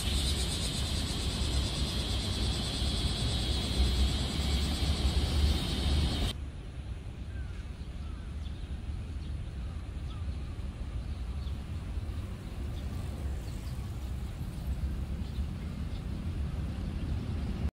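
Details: Cicadas begin singing at Nagai Park on a cloudy, partly sunny, humid day: a dense, continuous, high, hissing buzz with no breaks, then a sudden stop leaving low rumbling wind or distant traffic.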